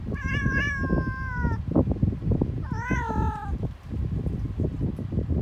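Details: Cat giving two drawn-out, slightly falling meows, the first lasting about a second and a half, the second shorter after a brief pause, over steady low rumbling and rustling handling noise.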